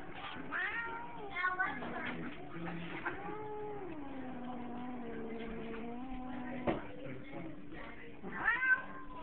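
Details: Ill-tempered pet cat yowling in protest at being petted: sustained low moaning wails that dip and rise over several seconds, ending in a sharper higher cry, while a woman scolds him.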